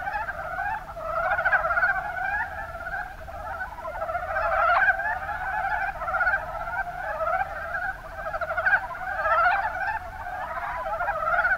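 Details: Mountain Brown Frogs (Rana ornativentris) calling in the Kuma Basin, Kumamoto, Japan: a dense chorus of many overlapping pulsed, chuckling croaks rolling on without pause, swelling and fading in loudness.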